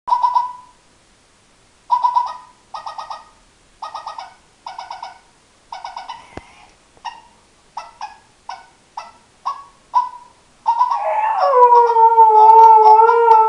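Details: Daisy, a Husky, gives a run of short, pulsed, nasal yips repeated about twice a second, then slides into a longer wavering howl-like moan at the end.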